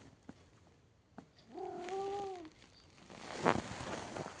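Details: Domestic cat giving one soft, wavering meow of about a second, with faint clicks and a brief sharp noise following.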